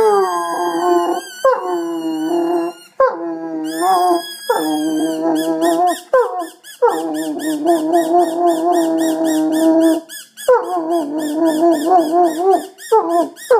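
An Irish Wolfhound howls in long, wavering phrases that rise and fall, broken by brief pauses.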